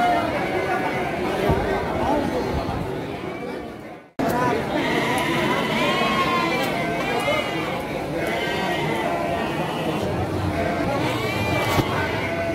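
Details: Garut (Priangan) sheep ewes at the Andir sheep market, Garut, on 5/4/2021, bleating: wavering, nasal bleats rising and falling, overlapping from several animals amid constant crowd chatter and speech, with a brief dropout near four seconds.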